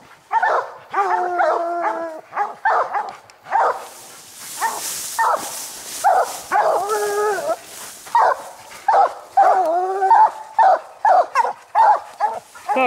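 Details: Coon dogs bawling treed on a raccoon that hides its eyes; long wavering howls mix with sharp repeated barks from several dogs, and a noisy rustle sweeps through the middle.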